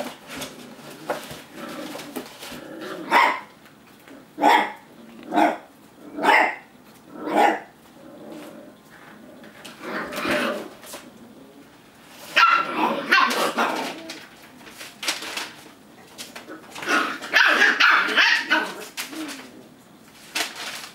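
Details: Eight-week-old Lab and Aussie Cattle Dog foster puppies learning to bark while play fighting: a run of evenly spaced high puppy barks, then bursts of overlapping yapping and growly barks, with scuffling in between.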